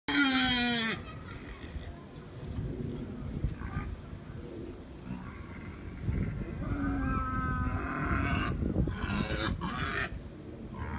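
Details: Wild boar at Tama Zoological Park, Japan, recorded 5 January 2017: a loud, harmonic squeal opens with a falling pitch and lasts about a second. Low grunting and rustling follow. Another tonal squeal rises mid-clip, with background murmur throughout.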